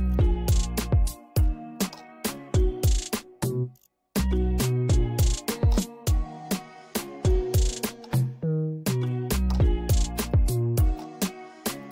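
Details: Upbeat instrumental music with plucked and percussive notes plays throughout, briefly dropping out near the four-second mark, with no animal voices heard.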